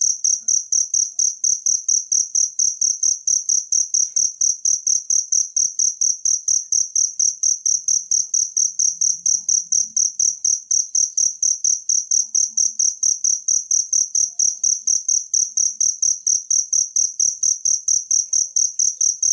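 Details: Unbroken stream of piercing cricket chirps, evenly spaced and very regular, lasting the whole stretch. This is a natural cricket recording meant as tutor sound for songbirds, with a quiet background.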